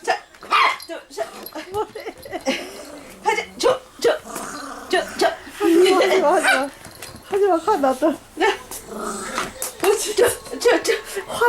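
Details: Playful Toy Poodle named Da-Ji growling and barking during a game, rough wavering growls and short yaps that come and go over steady Korean chatter from the person playing with it.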